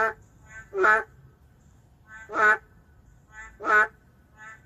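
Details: In the heart of a city, an endangered narrow-mouthed frog gives three loud, nasal, quack-like croaks about 1.5 seconds apart, each followed by a fainter, shorter answering call.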